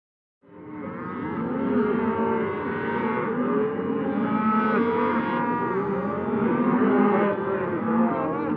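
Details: Cows on pasture in a natural setting, many animals mooing at once in overlapping long, drawn-out lowing calls with rich harmonics, a dense continuous chorus without pauses.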